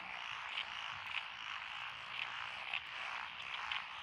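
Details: Rice-paddy frog chorus among lotus fields in Echizen, Fukui Prefecture, Japan, recorded 12 June 2021; a continuous croaking hum topped by sharp higher notes repeating roughly every half second.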